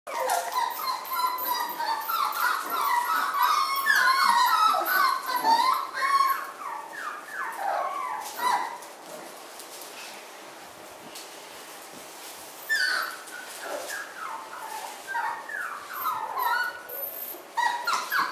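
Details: Miniature Schnauzer puppies from three litters kept together indoors, a crowd of high, thin whimpers and squeals overlapping in quick bursts, louder for the first eight seconds, a quieter pause, then another run of whines near the end.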